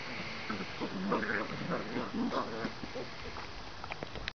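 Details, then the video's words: Several Bernese Mountain Dog puppies whimper and squeak in quick overlapping high-pitched bursts, several per second, over a constant background hiss. "Bernese Mountain Dog puppies"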